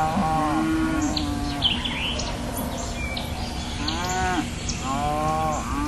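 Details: Repeated cow moos, four short lowing calls of varying pitch spread over six seconds, with birds chirping and tweeting throughout the background.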